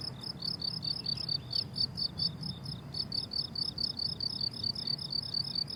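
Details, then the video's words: Chorus of crickets in a summer meadow full of flowers, fast pulsed high chirps in clustered bursts with brief gaps, a faint extra chirp early on, and soft low background hum. "Relaxing Cricket Sounds on a Summer Meadow"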